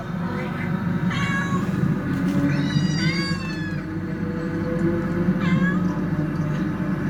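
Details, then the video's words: Cats described as fighting, giving three drawn-out, wavering harmonic meows spaced a second or two apart over a steady low hum and rumbling background. "TRY THIS SOUND ON YOUR CATS"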